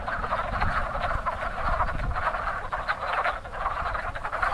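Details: Spring breeding chorus of wood frogs at a crowded pond, short duck-like croaks overlapping densely and continuously, with a low rumble in the background.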